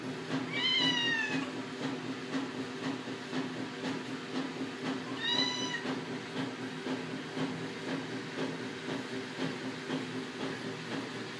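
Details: A female Siamese cat calls twice with long, nasal meows that arch and then fall, a few seconds apart, a hungry plea for food over a steady low hum.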